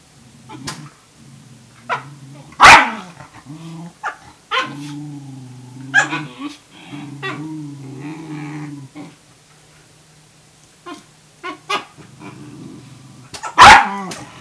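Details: Tamaskan puppy trying to establish dominance over a Norwegian Elkhound's food: long low rumbling growls with two-toned wavering pitch, broken by sharp loud barks near the start and end, with short yips in between.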